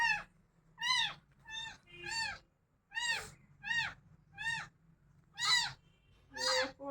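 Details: Crying cat giving about ten rapid, uneven meows, some short and some longer, with arching pitch over a steady low background hum.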